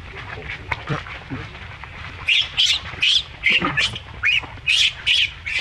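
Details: Baby monkey in a monkey group, reacting while an adult keeps up its behaviour toward it: faint mixed calls at first, then loud shrill squealing screams repeated rapidly in uneven bursts from about two seconds on.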